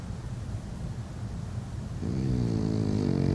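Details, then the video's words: A male French Bulldog snores while napping: a low, rough rumble that swells into a louder, buzzing snort. "003: Snoring / French Bulldog, Jean-Claude (JCVDog)"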